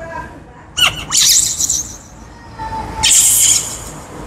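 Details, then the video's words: Shrill, hissing screams in two loud bursts come from Kaka, a baby wild monkey crying out for fruit, with a faint thin tone between the outbursts. "Kaka monkey screams because he is hungry for fruit"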